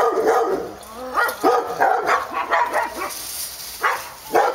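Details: Dogs barking in a dense, rapid run of overlapping barks with almost no pauses, easing into two spaced barks near the end.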